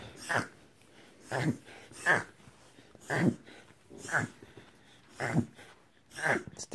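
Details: A reverse sneeze from Jasper the Whippet, identified by a veterinarian: seven short, gusty snorts in a fairly steady series about one per second, each a rough burst of breath with little sound between them.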